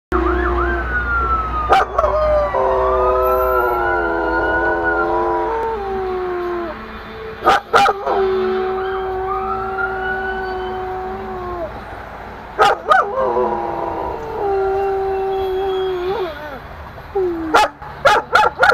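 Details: A German Shepherd howling; long drawn, wavering tones that slide down and hold, several voices layered, over a steady low hum with sharp knocks at intervals.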